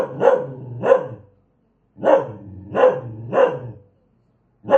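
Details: Fierce dog barking: six forceful barks in about five seconds, a pair, a quick triplet and a final bark, with clean quiet between bursts.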